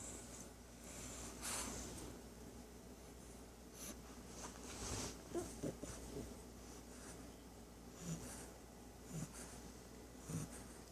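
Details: A 3-month-old female English Bulldog puppy snores loudly for her age during a nap, with soft, wheezy, snorting breaths at uneven intervals in a quiet room.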